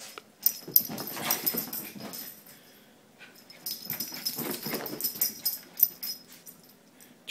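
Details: Dog called Jack, first day discovering bubbles, pursuing them indoors; irregular breathy huffs and snapping bursts, roughly three per second, break off around the middle, then resume loudly before a final sharp click.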